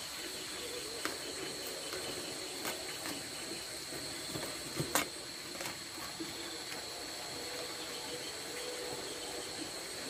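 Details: Nocturnal insects calling at night around a rice field hut during a camping trip: a steady, high-pitched drone held on two shrill pitches. Scattered clicks and knocks run through it, with a sharp crackle midway.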